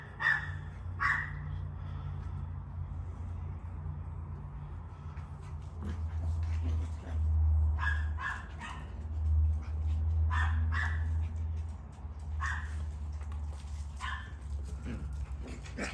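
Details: Miniature Poodle puppies giving short bright yelps and barks in scattered bursts, several close together near the start and more through the second half, over a steady low hum.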